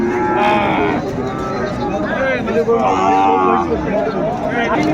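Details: At Ambari market, Dinajpur, on 18 November 2024, Sahiwal bull calves are traded while cattle give short, arching moos that overlap with nearby talk and market bustle.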